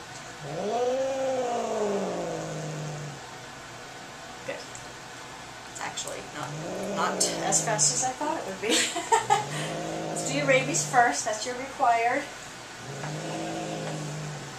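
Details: Domestic cat screaming and howling in anger at the vet, giving four drawn-out wailing howls of a couple of seconds each, with human voices and harsh noisy bursts between them.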